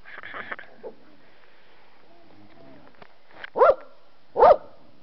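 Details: Puppies playing outside in autumn, one giving two short, loud barks about a second apart near the end, after a stretch of soft rustling and faint background noise; a person speaks just before and after.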